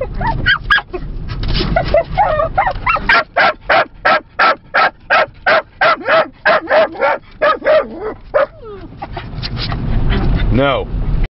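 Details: A Yorkshire Terrier puppy barks in a rapid, high-pitched series of sharp yaps, about three per second, during a car ride through Lancaster County despite being told not to bark at the Amish.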